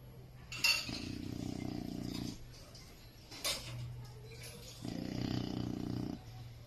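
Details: Jacko, a pet Chow Chow dog, snoring while asleep: two long, rough, low-pitched snores about a second and a half each, separated by quieter breathing, with a light clink early on.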